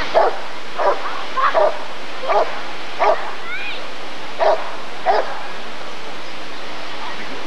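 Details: Rottweiler in 1994 at an ADRK Körung breed survey barking in a steady series of about seven short, punchy barks, with a brief rising whistle heard among them.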